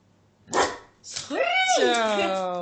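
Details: A one-year-old male Bull Terrier being trained indoors to bark on the command "speak": a short rough burst, then a drawn-out harmonic vocalization that swoops upward and slides steadily lower in pitch.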